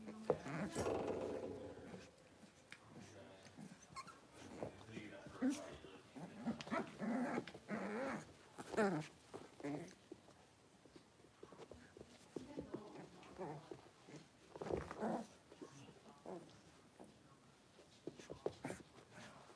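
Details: Six-week-old blenheim Cavalier King Charles Spaniel puppies, a litter of five in a home puppy pen, make bursts of scuffling growls and short whimpers throughout, with human voices mixed in.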